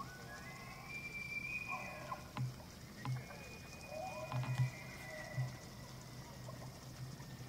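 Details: Rutting elk in the evening at Slippery Ann Elk Viewing Area, Charles M. Russell National Wildlife Refuge, Montana, September 24, 2024; a long whistled bugle rises and holds high, then a second one follows, punctuated by short low grunts.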